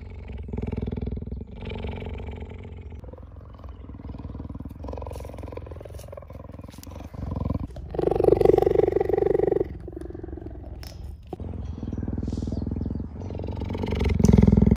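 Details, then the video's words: A cheetah at a cheetah conservation centre purrs in a low, steady rumble that swells louder in rough, throaty bursts. "30 sec purr compilation - ASHIA CHEETAH CONSERVATION"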